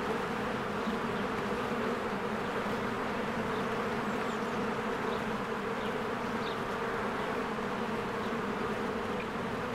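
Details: Spring beehive with swarms of honeybees coming and going, captured with a Canon EOS R; constant layered buzzing fills the air while brief thin bird chirps flicker faintly above the hum.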